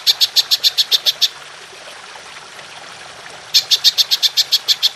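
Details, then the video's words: Golden grasshopper (belalang emas), used as a tutor recording for songbirds: two bursts of sharp, high, rapidly repeated ticking pulses, about eight to ten each, separated by a pause of roughly two seconds of quiet hiss. "Belalang Emas Nembak Panjang"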